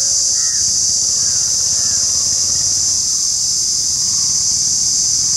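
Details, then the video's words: Continuous high, even shrill of an Indian cicada, unchanging in pitch and loudness, with faint bird notes in the background. "The Indian Cicada : shrilling sound"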